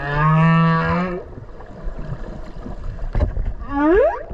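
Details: Underwater whale near Okinawa, captured close by during a swim with it: a level, buzzy moaning tone lasting about a second, a rumbling noisy pause, then a brief cry sweeping steeply upward.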